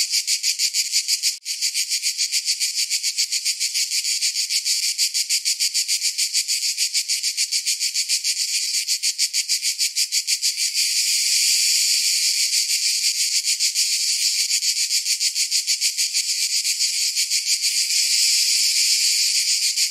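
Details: Summer cicada chorus, a continuous shrill metallic buzz made of very rapid throbbing pulses that grows slightly fuller midway, with one brief click near the start.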